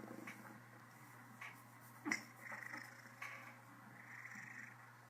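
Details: Contented Cornish Rex cat with the hiccups, purring softly: a faint low rumble under a few brief breathy bursts and one sharp hiccup jolt partway through, quiet indoor setting.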